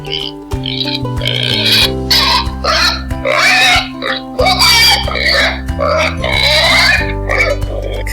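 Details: A pig gives a string of short, rough grunts and snorts in irregular bursts, some closely bunched, over a continuous background of music.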